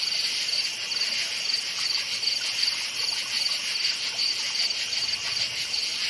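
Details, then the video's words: Crickets chirping at night in a forest: a steady, high-pitched pulsing trill, with rapid chirps repeating about 162 times a minute over a continuous shrill insect chorus. "NIGHT FOREST CRICKETS CHIRPING SOUND"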